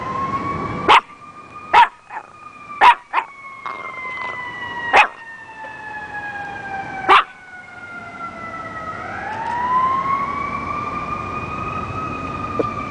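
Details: Beckett the dog letting out a burst of short, abrupt barks, about seven in the first seven seconds, while a siren wails continuously and swoops back upward as the barking stops.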